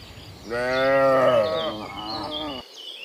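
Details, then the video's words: Morning herd of cows returning from the field to the pen, one long rich moo swelling then fading over two seconds, with faint bird chirping in the background. "Sound Dozens of Moo Cows in the Morning, Returning from the Field to the Pen, the Sound of Cows"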